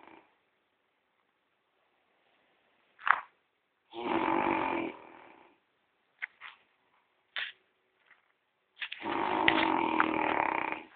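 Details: Gordon, a French Bulldog, snoring in his sleep: long rough rasping breaths about five seconds apart, each lasting over a second, with short snorts and clicks between them.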